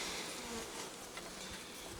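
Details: Honey bees in hive 15, opened by the beekeeper on 25 July 2020, 35 days after the colony had been queenless with laying workers; bees present, no drones seen. A quiet, steady low hum under a broad airy hiss.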